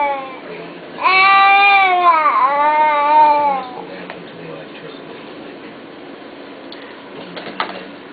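A wolf gives a single wavering, whining cry that dips in pitch and rises again.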